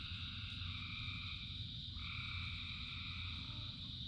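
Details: Rain-soaked frog chorus of thousands of callers: sustained droning trills in stacked bands, with a clear step up in pitch of one band about halfway through, over a continuous low wash of rain.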